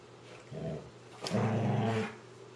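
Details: Two German Shorthaired Pointers in an early Saturday morning blanket wrestling match give low, rumbling, playful growls in two short bursts.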